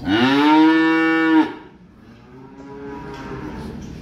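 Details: Calf unloaded from a truck lets out a loud, steady moo of about one and a half seconds, cut off sharply, then a faint second low moo in a quieter background.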